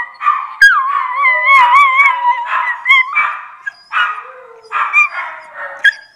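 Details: Maya, a miniature Schnauzer, howls in wavering tones broken by hiccups and short yelps, her voice gliding up and down in long bends over about six seconds, with no other sounds clearly present.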